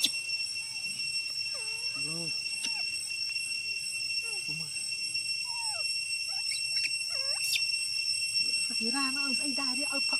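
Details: Apollo, a young chimpanzee, cries for milk from papa because he is hungry; scattered bent, whimpering squeals come in uneven bursts, ending in a run of quick wavering wails, over a constant high-pitched hum and occasional human voices.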